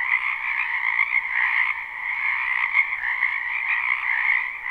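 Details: Frogs fill a spring wetland with croaking, recorded live: a short stretch of dense, steady chorus, layered high trills swelling slightly and dipping toward the end.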